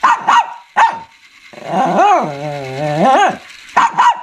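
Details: Shih Tzu barking and growling: sharp single barks open and close, framing a long, rumbling, drawn-out growl that swells and sinks over nearly two seconds in the middle.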